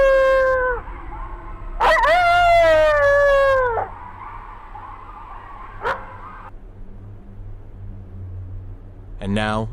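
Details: Coyote howls played as a comparison with Umatilla reservation recordings: a falling wavering howl, then a longer howl that drops and levels off, a brief sharp click, and a rising quavering cry at the end.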